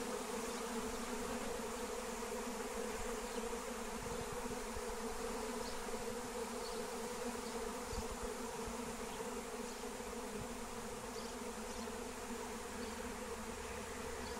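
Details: Massive wild honeybee swarm on the wing during capture using lemon balm; thick, unbroken buzzing hum of countless bees, steady in pitch, with faint higher chirps of a small bird scattered over it.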